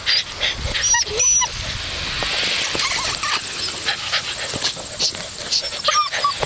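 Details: Puppies in a stampede give brief, high, thin squeals and whimpers, several overlapping, amid loud rustling and scuffling noise throughout.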